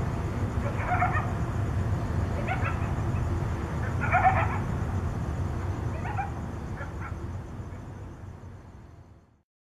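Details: Coyotes contact calling at night in Tucson: clusters of short, wavering, yipping bursts recur every one to two seconds, growing fainter toward the end, over a steady low rumble.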